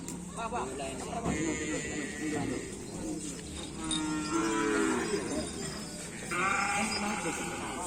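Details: At a karapan sapi bull-racing event, cattle give long, bending moos one after another against a dense wash of crowd noise and music.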